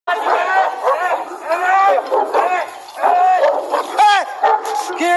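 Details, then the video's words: Persian mastiff (Sarabi) guard dogs in an attack on a person: a dense chorus of loud, harsh barks and yelps from several dogs, overlapping almost continuously, with some sharp descending yelps near the end. "حمله سگ سرابی گارد به انسان ( سگ پرشین ماستیف ) / attack sarabi dogs guard (Persian mastiff)"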